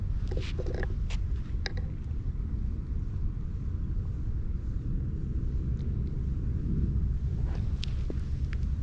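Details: Fluffy stray domestic cat on a walking route in Japan, purring while groomed with a cat brush, filmed on a GoPro; a continuous low rumbling purr throughout, with brushing scratches and clicks at the start and near the end.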